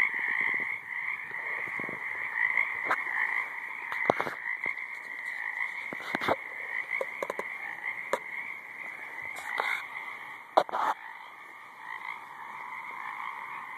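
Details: Chorus of frogs in a high marsh: a constant buzzing drone underlies scattered sharp clicks and short croaks throughout.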